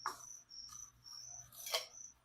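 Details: Chirping from feeder crickets about to be dusted with vitamin powder for a leopard gecko: steady high buzzy pulses continue beneath loud rattling and scraping of handling, with a faint low hum.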